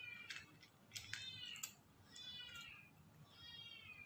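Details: White cat eating, giving a few rising-falling harmonic meows around the one-second mark and again near three and a half seconds, with clicks and chewing noises between them.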